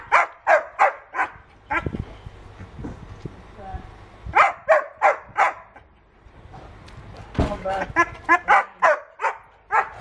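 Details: Wolfie, a young white wolfdog tied to a post outdoors in England and worked up about it, gives bursts of quick high yelps in runs of five or six, interrupted by a man talking and shuffling sounds.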